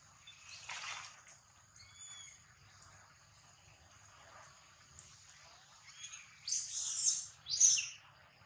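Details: Baby monkey under attack during a fight, giving thin high-pitched cries with faint harmonic wavering notes, then two loud, harsh shrieking bursts near the end; steady high electrical hiss in the background.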